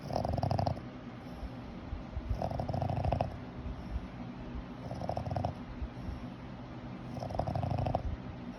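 A Boston Terrier snores in slow, rumbling bursts, each breath a low rattling drone.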